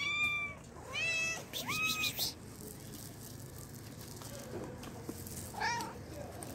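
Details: Hungry cats meowing for food: three loud, high, harmonic meows in quick succession in the first two seconds, some rising then falling, then a pause and one more meow near the end, over a steady low background hum.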